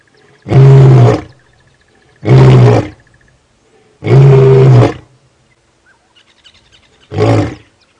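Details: A male lion with a fresh facial wound roars in four deep, booming bellows, each under a second and about two seconds apart, with near silence between, on a morning safari drive on Sept 28, 2016, unusually late in the morning.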